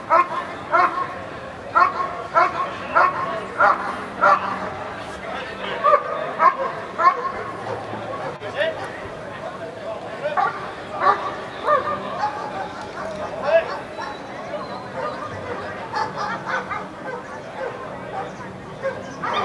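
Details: Eran von Houthrack, a dog under protection work at the NIAK 2014 trial, barks in quick bursts early on. Later the barks become irregular and mix with people talking and crowd noise.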